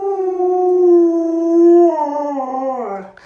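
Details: Luoluo, a pet Alaskan Malamute, holds a long, pure, steady howl for about two seconds, then wavers and drops lower before trailing off. The sustained woo is clean against near silence.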